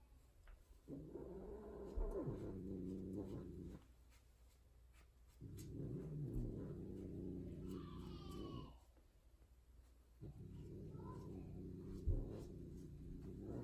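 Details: Loud tortie Persian queen during indoor mating with a white odd-eyed tom: three drawn-out, low, moaning yowls of about three seconds each, separated by short pauses, with a brief higher squeal between the second and third.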